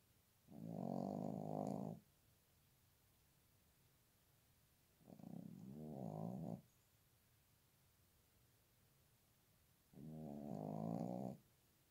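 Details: In cold winter a dog sings three nasal, wavering howl-like moans of roughly one and a half seconds each, separated by pauses of several seconds, loud and close against a quiet background.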